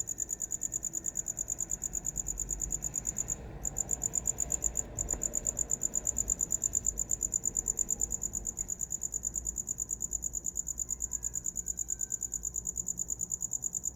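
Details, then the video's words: Continuous shrill cricket chirping, about three pulses each second, briefly broken twice by short gaps, over faint low rumble, offered as a sound to fall asleep to. "Som de grilo para dormir"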